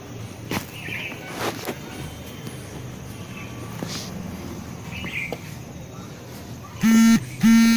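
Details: A 7-month-old Rottweiler gives two deep, harsh barks after a quiet stretch with faint bird chirps.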